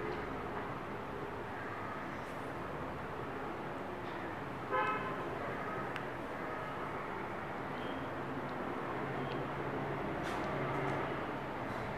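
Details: Street traffic noise with a short car horn toot near the middle and a steady roar of vehicles, with no animal sound heard.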